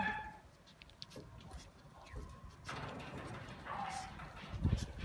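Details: A Shiba Inu whimpers with brief, thin, high whines, one sliding downward near the end, amid rustling handling noise and a nearby human voice.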